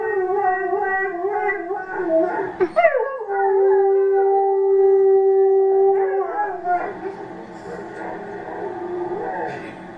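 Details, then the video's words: Rescued Alaskan Malamute dog, adopted a week earlier, howling at home: long wavering harmonic howls, a steady held tone in the middle, then rougher rising and falling vocalising toward the end. "Malamute Howling"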